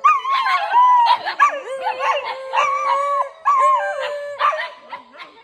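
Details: Several dogs howl at night in an eerie chorus, with quavering, bending tones that swoop up and down and overlap. Brief yips and breaks punctuate the sustained howls.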